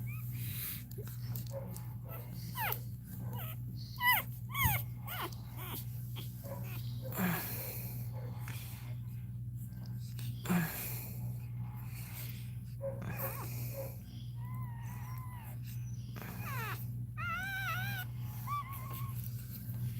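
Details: Cane Corso crying as another dog, Cashmere, goes through labour: a long stretch of clicks, rustling and voices, then wavering high whines and quick rising squeals near the end over a constant hum.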